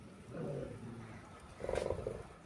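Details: Rottweiler involved in a fight utters two low, rumbling growls, the second harsher and pulsing, with a person's coaxing voice just before.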